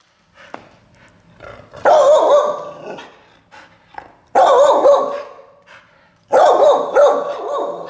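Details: A four-year-old Wheaten Terrier named Bo, in training to bring his reactivity under control, gives three loud harsh barks about two seconds apart after a quieter start, with faint background noise.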